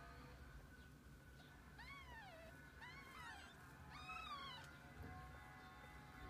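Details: Kittens together with their mother cat over a day indoors; three clear, arching mews rise then fall, spaced about a second apart, over a steady electrical hum and a low background rumble.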